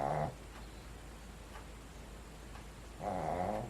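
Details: A 13-year-old female Shih Tzu snores loudly indoors, "like a lumberjack," with rough, rasping breaths about three seconds apart.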